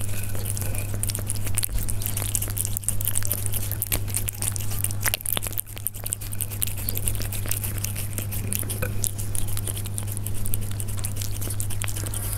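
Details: Close-up of Persian cats at their food, with irregular crisp chewing crunches and small clicks across the whole stretch and a constant deep hum underneath.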